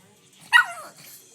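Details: Five-month-old pug asking for a treat while following commands gives a single short, high yelping bark that slides downward in pitch; quiet room, a person speaking just around it.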